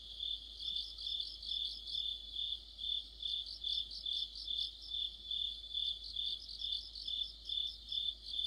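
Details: Many crickets and other insects sing in autumn, a dense shrill trill overlaid with pulsing chirps repeating about twice a second, even and unbroken.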